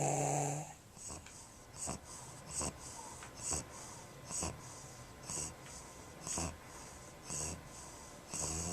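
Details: An English Bulldog with a short, flattened nose and narrow nostrils breathes with inspiratory stridor, a harsh, rasping wheeze on each breath roughly every second.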